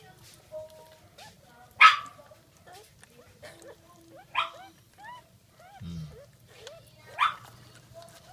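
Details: Jack Russell Terrier giving birth to a second litter, recorded 17 October 2014 at 5:35 am; short rising squeaks repeat throughout, broken by three louder harsh bursts, with a person talking quietly in Filipino nearby.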